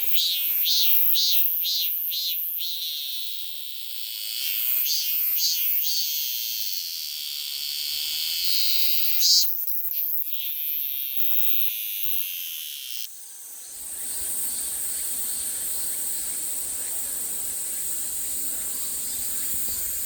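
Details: Korean cicada (참매미) singing its "maem-maem" song: loud, high, buzzy pulses in rhythmic bursts, repeated about twice a second in phrases separated by pauses, later giving way to a steady high hiss of background noise.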